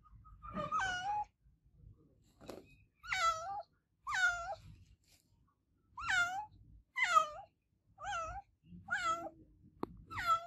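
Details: Olevia, an adopted domestic cat, meows loudly and insistently indoors: about nine drawn-out, falling meows with a wavering pitch, spaced roughly one second apart, with a faint low rumble underneath.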